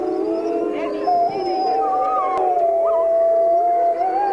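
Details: Grey wolf packmates howling in the background as one wolf greets her hand raisers; a long, steady, pure howl holds its pitch with slight rises, over a lower chorus of other wolves.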